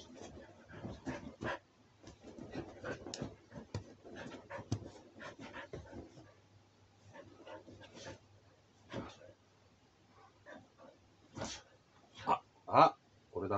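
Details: Siberian Husky during a five a.m. tussle indoors; rapid panting and soft whimpering run through the first half, followed by scattered sharper yips and whines growing louder toward the end.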